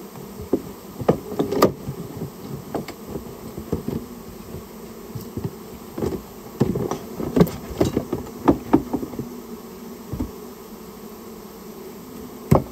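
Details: Buzzing Japanese honey bees from a nest built inside a storehouse, recorded as the colony is taken out; a constant low drone runs under frequent sharp knocks and clattering handling noises throughout.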